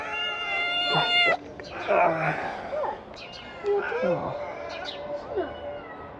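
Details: Large family of stray ginger kittens rushing to a food box, meowing: a long, steady, high harmonic meow, then several shorter bending and wavering meows overlapping, while a man talks and calls to them.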